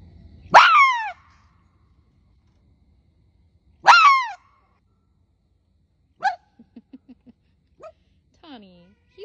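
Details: A captive male red fox in an enrichment yard gives two loud, hoarse alarm screams, each a brief downward-sliding shriek about three seconds apart, aimed at an unfamiliar male fox exploring his yard. Softer yelps and a quiet human voice follow.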